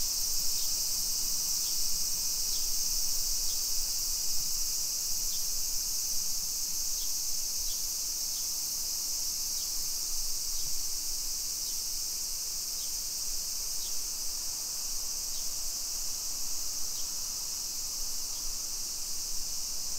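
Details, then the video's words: Cicadas singing in summer in a suburban neighbourhood of Nisshin, near Nagoya, Aichi Prefecture, Japan, at 2 PM on 28 July 2021: a steady high hissing drone with faint regular ticking pulses about once a second, over low traffic rumble. "Summer Cicadas Sounds"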